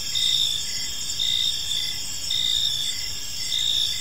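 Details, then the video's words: Crickets chirping at evening in a serene park, a bright continuous shrill chorus with a few pulsed, slightly louder bursts about once a second, and quiet low rumble beneath. "Cricket Sounds in a Peaceful Park"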